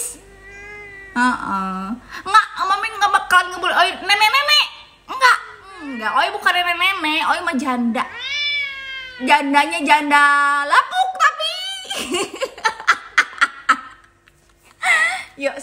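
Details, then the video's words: Owie, an angry odd-eyed domestic cat, gives a run of loud, wavering, drawn-out meows and caterwauls, some rising and falling in pitch, with short pauses between bursts and human speech mixed in. "KUCING MARAH MARAH"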